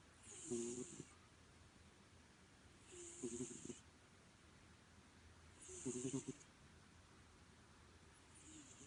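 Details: Domestic cat snoring: three slow, rasping breaths spaced about two and a half seconds apart, each a low harmonic rumble with a soft hiss on top, then a fainter fourth breath at the end; quiet room.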